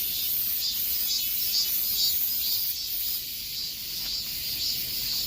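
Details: Cicadas fill the summer-heat air with a dense, high, shimmering buzz that pulses about twice a second.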